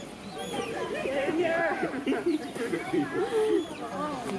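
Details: Two red pandas fighting: wavering, bird-like chirps and squeals in the low-middle range, bursting in quick irregular runs for over four seconds, with a person talking over them.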